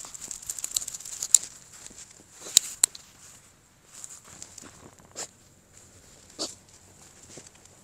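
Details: Shih Tzu dog snorting close up in an ASMR recording: short breathy nasal bursts, hissing and airy, coming in uneven clusters with brief pauses, the loudest puffs sharp and sudden.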